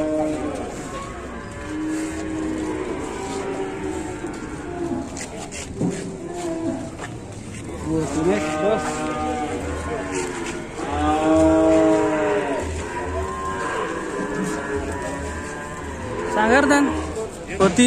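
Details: Cattle at a farm pen in Indonesia, described as fierce and wild: several harmonic moos of rising then falling pitch, some long and drawn out, mixed with background music, speech and clatter.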